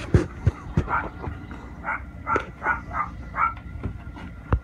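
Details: Precious Pig, a very hungry pet pig behind a door, startling kittens on the other side: harsh, nasal grunting squeals come in short bursts about every half second, mixed with sharp knocks and thumps against the door.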